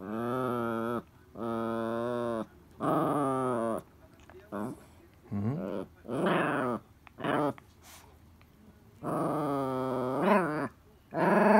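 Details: Toy Poodle Elle pesters Happy Hanna for a ball, with drawn-out, moaning vocal phrases about a second long, rising and falling like talking, separated by short pauses; one quick yip-like burst near the end.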